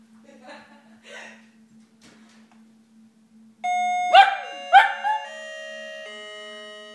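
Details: West Highland White Terrier cross howling along with a doorbell indoors; a two-tone chime sounds, then rising wavering howls overlap the ringing tones, with faint voices before.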